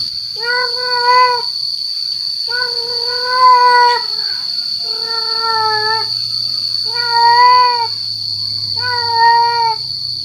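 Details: Male cat's call meant to draw in females. Five even, drawn-out meows come roughly every two seconds, each steady and slightly wavering, over a constant thin high whine.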